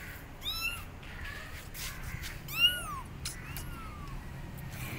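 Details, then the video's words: Kittens left abandoned on a gate cry out for their mother: two clear, rising-then-falling meows, the second loud and stretched, with fainter calls after it against steady low noise. "Abandoned Kittens Are On Gate Meowing Loudly Calling Mom Cat"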